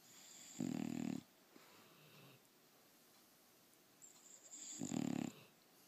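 An English Bulldog snores in loud, rasping bursts separated by quiet pauses.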